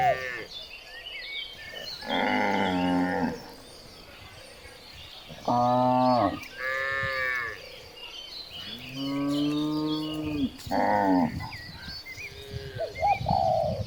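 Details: Several cows moo loudly on village streets during morning herding, long rich bellows one after another, with outdoor background noise and people exclaiming.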